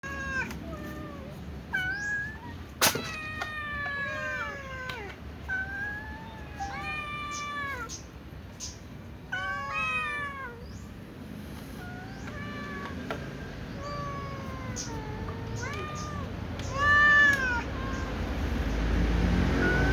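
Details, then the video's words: A little cat meows repeatedly before eating alongside other cats, while a tom cat sneezes. Arched, harmonic meows rise and fall, some drawn out, at irregular intervals, with one sharp broadband burst early on and steady low background rumble. "little cat meows while the tom cat also sneezes before eating with other cats"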